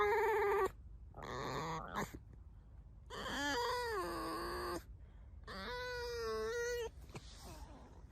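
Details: Alice, a house fox living with dogs, whines and squeaks in five bursts: short strained squeals, then long quavering cries that dip and rise, with silent gaps in a quiet room.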